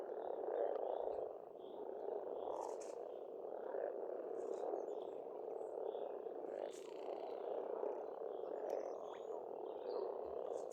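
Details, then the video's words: Pond frogs on an Estonian homestead in spring keep up a continuous, even croaking chorus, while distant birds add sporadic thin whistles and short chirps throughout. "Расслабляющее пение птиц и лягушек, весна, природа."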